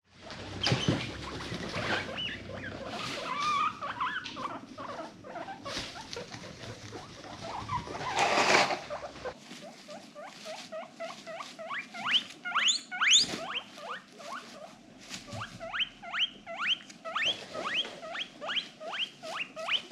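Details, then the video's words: Female pet guinea pig in a noisy, playful mood: rustling and soft thumps at first, then a long run of short, squeaky rising chirps repeated rapidly, each with bright overtones. "funny guinea pig noises"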